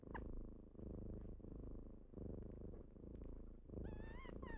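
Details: Kittens rousing their owner at dawn purr in a low, rolling rumble with rhythmic in-and-out breathing, ending with a short, wavering high meow over the purr.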